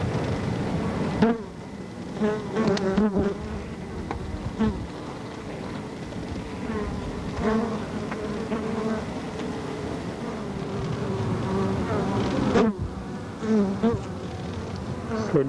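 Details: Carniolan honey bees on the comb of an observation hive with the glass removed, recorded in July 1990 with a preamplified capacitor microphone during the waggle dance: a dense hive hum with short wing-puff bursts modulated by waggling, plus occasional clicks.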